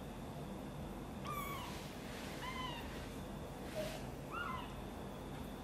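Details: Mother cat, angered as someone lifts her kitten Guitar out of a box and carries it close to her, gives several short falling meows, high thin calls spaced about a second apart over a steady low rumbling background hum.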